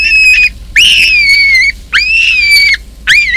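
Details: In Kruger National Park, a large male baboon drives an intruder from his troop. Piercing drawn-out screams rise sharply, then hold steady and ease slightly downward, each lasting under a second and repeated about once a second.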